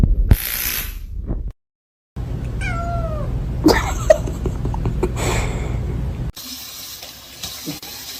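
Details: Domestic cat giving a single short meow that slides downward in pitch, set among abrupt cuts, a brief silent gap, rustling and steady background noise.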